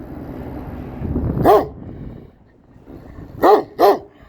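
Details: A Kangal guarding its area in Turkey gives one deep bark, then after a pause two quick barks in succession, with low rumbling background noise.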